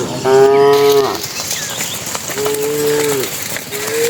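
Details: Cattle herded into their pen as evening falls, giving loud drawn-out moos, two long calls and the start of a third, each steady then dropping at the end, with faint background chatter.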